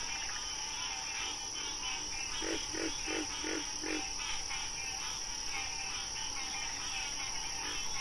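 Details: Wild frogs calling: a quick run of five short, low, evenly spaced notes, and steady pulsed trills higher up. A constant tonal drone and a bright high hiss run through the whole recording.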